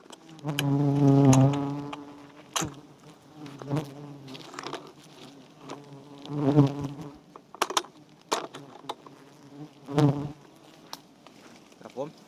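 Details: Giant honey bees swarming at a small wild nest with white comb being cut for honey in Thailand; a low droning buzz with stacked overtones swells loudly in bursts around one, six and ten seconds, with sharp clicks and handling knocks between.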